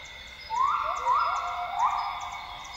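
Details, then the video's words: Northern grey gibbon (Hylobates funereus) calling at dawn in Borneo's lowland rainforest, Tawau Hills Park, Sabah. Loud swooping notes climb and hold, then overlap into a rising phrase, backed by a continuous insect whine. "Northern Grey Gibbon sounds - Gibbons singing at dawn in Borneo's rainforest."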